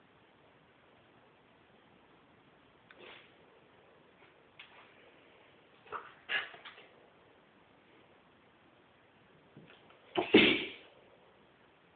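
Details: Only scattered indoor knocks, thumps and shuffling noises are heard, with no clear animal voice.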